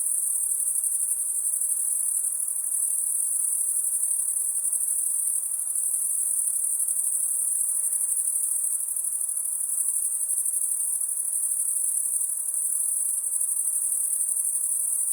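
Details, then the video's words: An insect at night produces a constant shrill high whine, level in loudness and pitch from start to finish, against a soft background hiss. "High Pitched Insect Noise At Night"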